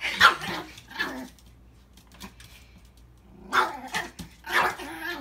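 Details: Reacting to his reflection in a mirror for the first time, a male Chihuahua mix gives a few loud, harsh barks separated by quiet gaps, with faint indoor sounds between them.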